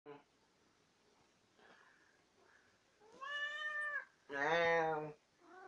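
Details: Tammy, a chatty pet cat known for always getting the last word, gives two drawn-out, arching meows near the end after a quiet stretch. A lower, voice-like sound overlaps the second meow indoors.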